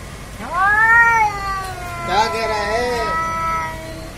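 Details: Cats fighting: a loud, drawn-out wailing yowl that rises then slowly falls, followed by a second wavering, overlapping yowl that trails on to the end.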